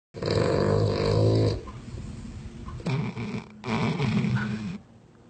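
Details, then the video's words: Dog snoring in a compilation of sleeping dogs: a loud, rough, low rumbling snore with a droning buzz fills the first second and a half, followed by two shorter raspy snorts near three and four seconds, in a quiet indoor setting. "Snoring dog compilation :) / Horlayan köpekler karması :)"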